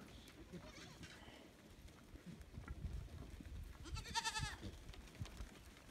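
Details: Farm goats coming back from pasture and being counted: one loud, harmonically rich, trembling bleat near the end, with shuffling hooves, low rumble and faint voices beforehand.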